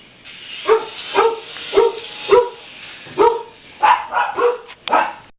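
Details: Angry Chihuahua named Fudge attacking a toy RC helicopter, giving a rapid series of sharp, mid-pitched barks, about eight in five seconds, some clipped into yips, over a faint whirring hum.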